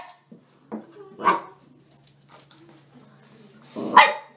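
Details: Eight-month-old Chihuahua named Bruce, a service dog in training, barking to alert handlers after finding his boy in a Walmart store; a few short sharp barks spread over four seconds, the loudest near the end, with faint indoor background sounds.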